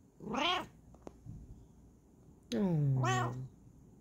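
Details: Bengal cat meowing twice indoors: a short bright meow first, then after a pause a longer drawn-out meow with a falling tail, with soft thumps in between.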